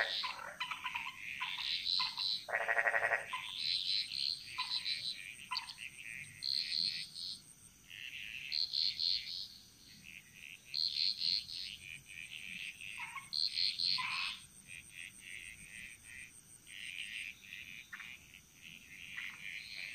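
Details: Frogs of the Bali jungle calling in chorus: short bright croaking bursts repeated about every two seconds, a loud lower rattling call early on, and a continuous high insect whine behind them.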